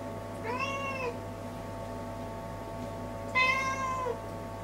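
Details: Indoors, a cat moving restlessly to and fro before the toilet mews twice, each call lasting about half a second and bending up then down, the second louder, with a constant electrical hum beneath.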